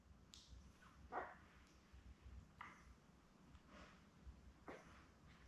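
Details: Week-old Labrador Retriever puppies, a litter of seven born May 24, 2021 with mother Belle, make several brief, faint yips and squeaks spaced about a second apart over steady rustling and low hum.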